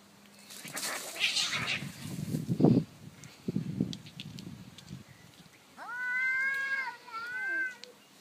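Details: Daytime territorial clash between an orange cat and a black neighbourhood cat: several seconds of breathy hissing and scuffling noise, then a loud wavering yowl rising and bending down, repeated briefly before fading.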